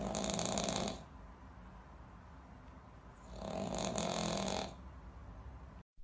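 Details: Snoring Pug, with two drawn-out, raspy snores separated by a quieter pause of about two seconds, rough and wheezy, in a quiet indoor room.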